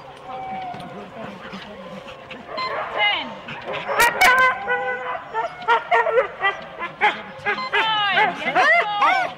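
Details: Husky sled teams of four dogs at the start of a race at Rendlesham in January 2016, excited barks and yelps building into overlapping high yips with harmonics, human voices mixed among the dogs and two sharp clicks midway.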